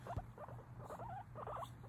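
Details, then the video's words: Guinea pig chattering: a run of short, soft squeaky chirps and warbling murmurs around the middle range, some notes rising and falling, repeated steadily over two seconds with a faint low hum behind. "Guinea pig chatting away"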